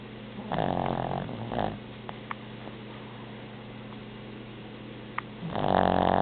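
A Boston Terrier snores in loud, rasping bursts over a steady low hum.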